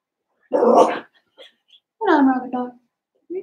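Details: Seven-week-old blenheim Cavalier King Charles Spaniel puppies, a litter of five in an indoor puppy pen, give two drawn-out harmonic whining yelps that slide downward, separated by a short pause with faint squeaks.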